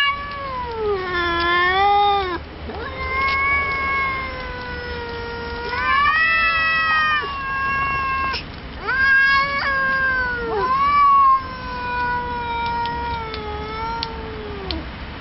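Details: Cats meeting at night trade prolonged yowls, rising and falling wails with strong overtones, pitches bending and wavering, voices overlapping almost continuously with brief pauses between bouts.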